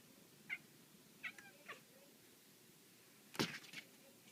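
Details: Black female house cat indoors, playing with a laser pointer, gives three short, high chirping calls in quick succession, then a sharp loud knock followed by a couple of faint chirps.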